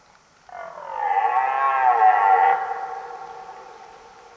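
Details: Red deer stag belling: a drawn-out, hoarse, harmonic bellow that swells over about two seconds and slowly fades, with no other sounds.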